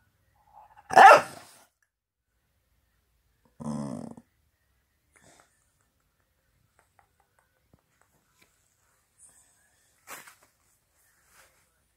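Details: Staffordshire bull terrier (Canis lupus familiaris), a chatterbox, gives a sharp bark, then a lower, grumbling mutter a few seconds later.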